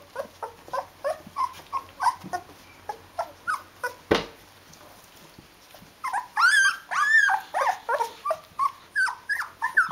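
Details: Fourteen-day-old Rhodesian Ridgeback puppies with their mother give a run of rapid whimpers about once or twice a second. Loud rising-and-falling whines break out partway through, then pulsed squeals continue to the end.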